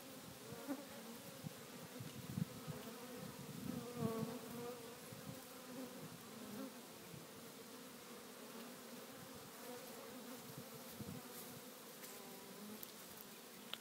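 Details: A swarm of African honey bees that fell to the ground while searching for the queen makes a dense, steady, low buzzing hum from many wings at once.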